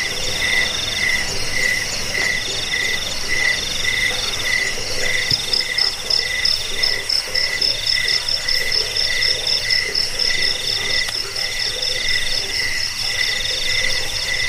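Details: Jangkik cricket sound for repelling rats, bedtime listening and bird song training; clear pulsed chirps repeat about twice a second, overlaid with several other rapid high trilling insects in a continuous chorus.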